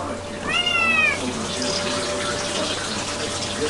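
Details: A cat gives one short, clear meow that slides gently downward, lasting about half a second. A steady broadband hiss fills the rest of the recording, with faint human speech.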